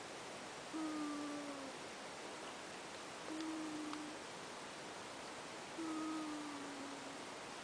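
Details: Ash the cat snoring in sleep, giving three short, thin whistling breaths that drop slightly in pitch, roughly every two and a half seconds, with soft background hiss and a faint click.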